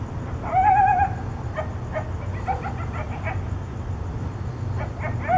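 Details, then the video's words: Nighttime coyote contact calls near Tucson, likened to hyenas: a quavering wail opens, followed by a scatter of short yips and barks over several seconds, set against a constant low hum. "Coyotes contact calling"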